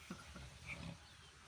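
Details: Two pigs snoring loudly during a Sunday afternoon siesta in South Africa; low rumbling snorts in brief rhythmic pulses under faint background noise.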